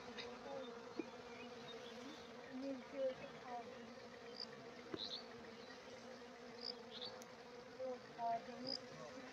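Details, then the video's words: A swarm of honeybees gathering nectar from coriander flowers in a field, making a steady low droning hum that holds on without a break, faint and even throughout, with a few soft clicks and light rustling. "ধনিয়া গাছ থেকে মৌমাছির ঝাক মধু সংগ্রহ করছে"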